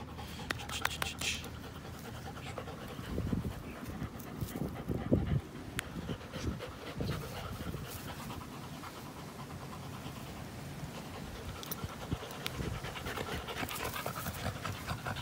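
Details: Two dogs, an American Pit Bull Terrier and a Belgian Malinois cross, at play on April 21, 2019. Steady rough, breathy panting runs throughout, with scuffling thumps in the middle and faint background noise.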